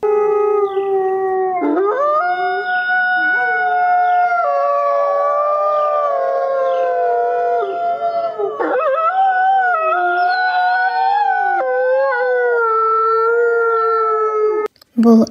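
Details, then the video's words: Wolf howling: several long, wavering howls overlap in a steady chorus, gliding up and down for about fourteen seconds without a break, then stop with a short burst of noise. "қасқыр. Қасқыр ұлиды. Бұл"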